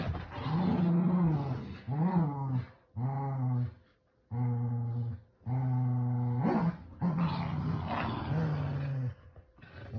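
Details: Kumo the Keeshond and Sully the Boston Terrier growling while playing tug with a starfish toy indoors: long, low rumbling growls in sustained bursts of one to two seconds, separated by brief pauses, with some rising whiny inflections.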